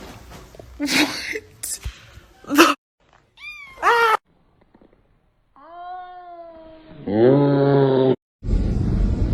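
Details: Cat calling with several drawn-out meows, a short high-pitched pair of cries, then longer wavering yowls with rich overtones, separated by silent gaps, plus brief speech and noise bursts.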